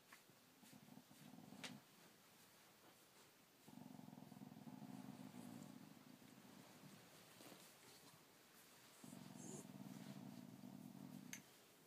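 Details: Dog growling in three long, low, buzzy rumbles, each lasting about one and a half to three seconds, separated by quieter pauses, with a faint click near the start.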